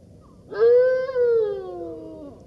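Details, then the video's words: Golden jackal howling: one drawn-out, tonal wail that starts with a quick rise, holds level, then slides slowly downward over nearly two seconds, rich in harmonics, with quiet background. "Golden Jackal sound call / תן מילל"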